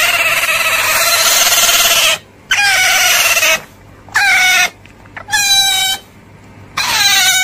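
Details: Otter calls: drawn-out, piercing whines at an even pitch, some stretching two seconds, others clipped short, separated by abrupt silent breaks.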